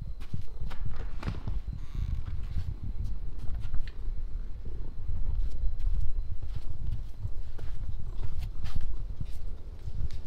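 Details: Noah, an orange cat, purring close up: a steady low rumble pulsing in soft waves, with scattered sharp clicks and brief rustles over it.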